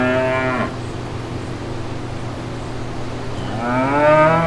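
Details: Brown cows with calves walking through green pastures; the tail of one moo opens the recording, a pause with low droning hum follows, then another moo begins rising and swelling at the end.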